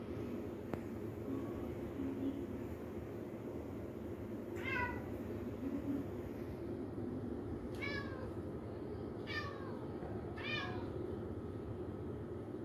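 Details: Kitten playing with balloons gives four short, high meows with stacked harmonics, the first alone near the five-second mark and three more close together later, over a steady low indoor hum.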